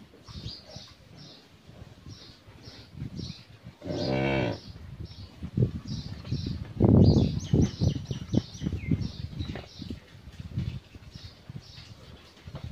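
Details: A 13-month-old Friesian heifer calf at a farm in Pabna, Bangladesh, lets out a short, harmonic moo of about half a second. Afterwards come murmuring people and clattering noise, with small birds twittering steadily throughout.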